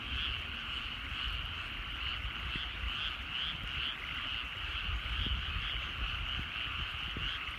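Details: Evening frog chorus over rural rice fields as the sun sets: many frogs trill together in a constant, faintly pulsing drone, with a low murmur of background noise underneath.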